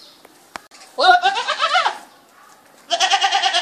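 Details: A goat gives two loud, nasal, quavering bleats separated by a short pause.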